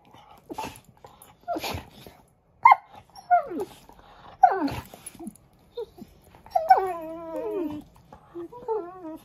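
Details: German Shorthaired Pointer. German Shorthaired Pointer puppies give a run of high whimpers and yelps, some sliding downward, others drawn out and wavering. The cries come in separate bursts with brief quiet gaps between them.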